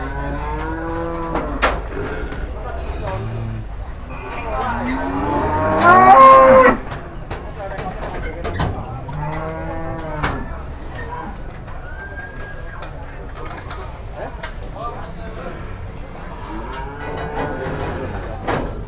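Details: Agitated, raging cattle in Indonesia, described as possessed and leaping about: a series of loud, drawn-out harmonic moos, some rising and falling, with clattering bangs, a sharp loud burst near the middle and background crowd noise.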